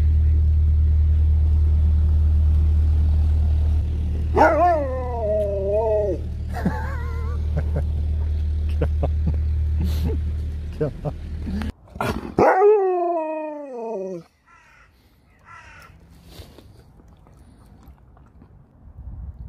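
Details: Sherpa, a pet dog, utters wavering howl-like notes twice, once around the middle and again later with a rising then falling pitch, over a steady low vehicle rumble with scattered clicks.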